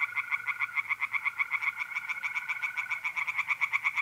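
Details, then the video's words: Pond tree frogs at night in mid April, north-east Italy, giving an unbroken run of quick rattling croaks at an even pace, with trilling mole crickets steady in the background. "relaxing singing tree frogs in pond"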